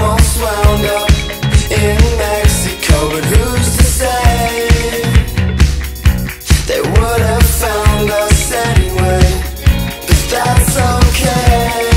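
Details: Loud rhythmic pop-rock music with a steady beat, bass and layered instruments, and no animal calls audible.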